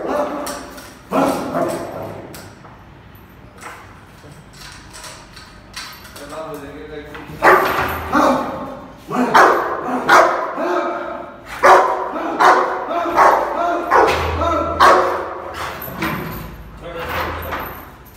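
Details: An angry Rottweiler protecting its owner in Bihar, India, barks in deep, harsh bursts, with people talking in the background.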